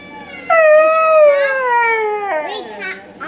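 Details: A Siberian Husky howls along to a video of himself, giving a long, drawn-out howl that slowly slides downward in pitch.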